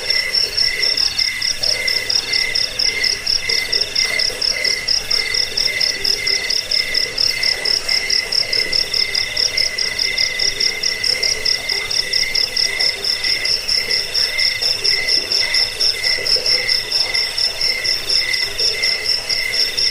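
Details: Cricket sound for repelling rats, lulling to sleep and tutoring songbirds: steady, high, shrill chirping in rapid pulsed trains, running without pause across the whole stretch, with a faint lower murmur underneath.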